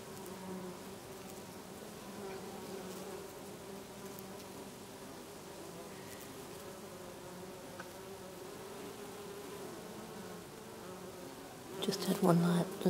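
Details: Numerous bees working lavender flowers in a Brittany garden during August; even, low humming drone of several wingbeats layered together, ending in a sudden louder burst of buzzing as one comes close.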